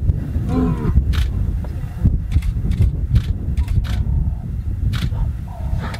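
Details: Male lions near the Chobe River, two young intruders challenging two older pride males. Deep, moaning bellows sound close, with a short rising groan early on, among camera shutter clicks and a vehicle's hum.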